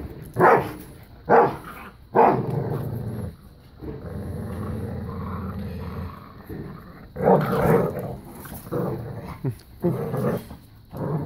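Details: Playful growling from Bella, a five-year-old black lab pitbull, and a new puppy during keep away and tug of war: long low rumbling growl stretches broken by sharp louder bursts, with a voice possibly heard.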